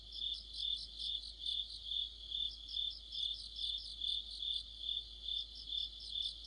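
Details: In mid-autumn, crickets and fellow insects sing together under a streetlight; high, even ringing trill with bursts of chirping that pulse in a regular beat about twice per second.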